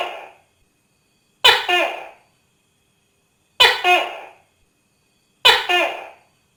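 A Tokay gecko gives loud, barking two-part calls, repeated about every two seconds.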